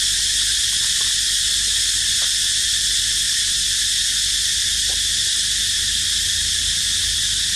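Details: Steady shrill cicada drone, a continuous hissing buzz held at one level throughout, with a few faint soft ticks and knocks underneath, recorded where the baby monkey Dito rests.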